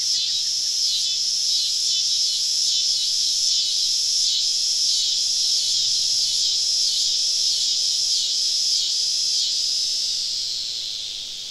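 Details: Cicada symphony surrounding a camp deep in the southern woods at summer dusk: a piercing buzzing chorus pulsing in clear regular beats about four per second, then tapering off at the close.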